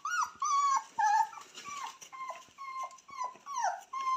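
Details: Purebred Cane Corso puppies raised indoors, born 18 October 2022, whine almost continuously: drawn-out, nasal, slightly wavering whimpers, some flat and some falling, in quick succession with brief gaps.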